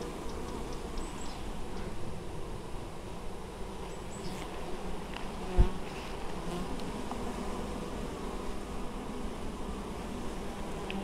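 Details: Busy honey bee colony gathering honeydew, Złoto Natury apiary, Moszczanka, Poland, 19 August 2013: thick, even buzzing of countless bees fills the recording, a deep steady hum with a single short knock midway.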